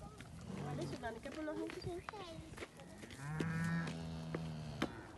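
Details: Cow being given an apple while on holiday in Lampaden, Germany, on 8 October 2018; after some shorter voiced sounds comes a long, low, steady moo lasting about a second and a half, with people talking close by.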